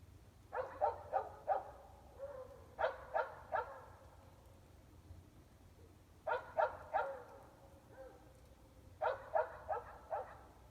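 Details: Dogs about 400 feet away, mostly indoors, in Emmett, Idaho, on 5 February 2020 at 8 pm: distant sharp barks in tight runs of three or four, repeating every few seconds over a faint steady hum.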